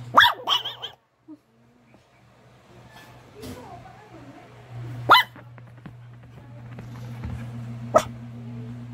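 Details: White-furred Maltese and Shih Tzu cross dog barking: a quick burst of two or three yaps at the start, then single sharp barks spaced a few seconds apart, with faint voices and a constant low hum behind.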